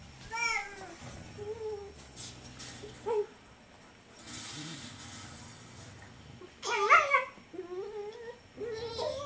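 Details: A female Siberian Husky grumbles in wavering, whiny, yodel-like bursts while guarding her bone from a German Shepherd puppy who won't take no for an answer; she has never hurt the puppy.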